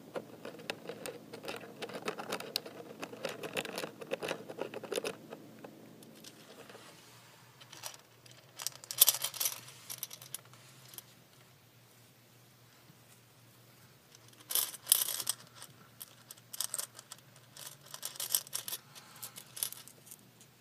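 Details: A female hamster makes quick bursts of short, dry clicks, some sharp, others faint, amid soft rustling, scratching and handling noises, with busier scuffling at the start; she clicks quietly and rhythmically while being rubbed.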